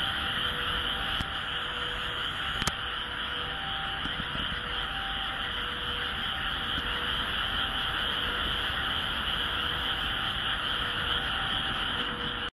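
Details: Frogs calling in short tonal notes, repeated about twice a second over a steady, dense, high-pitched chorus, in the countryside of Japan.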